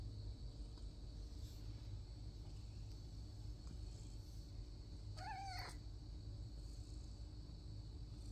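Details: Domestic cat indoors, staking out a toy door, gives one short, rising-then-falling meow with clear overtones about two-thirds of the way through; otherwise quiet apart from a steady low hum.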